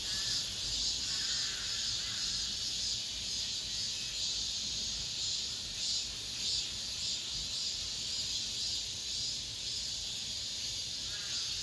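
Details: Steady wall of high, sizzling cicada song in an apartment complex at summer's end, pulsing unevenly as several insects overlap, with faint higher notes near the start and end.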